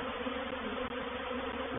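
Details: At Painted Peacock Manor on 04/07/21, a honey bee reproductive swarm enters a bait hive, giving a constant massed buzzing drone, full and steady, with two brief dropouts in level.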